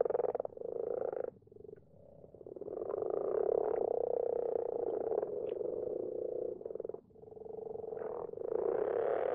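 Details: Common frogs calling after dark in a garden pond, their numbers growing each year; overlapping low purring croaks, rapidly pulsed, broken by two brief lulls, otherwise a steady rumbling chorus.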